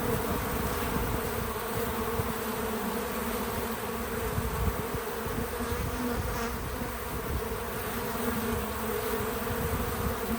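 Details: Several bees working at a feeder give a constant low buzzing drone, steady in loudness, with faint humming tones drifting above it and nothing else standing out.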